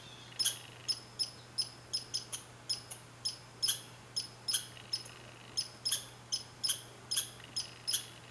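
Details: Red squirrel (Sciurus vulgaris), Saint-Calixte, Lanaudière, 15 July 2020: a run of sharp, high, clicking chirps in quick, uneven succession.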